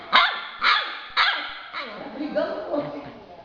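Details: Yellow Labrador Retriever puppy, two months old, gives three sharp high-pitched barks about half a second apart, then quieter murmuring as a voice keeps coaxing it in Portuguese to shake paw.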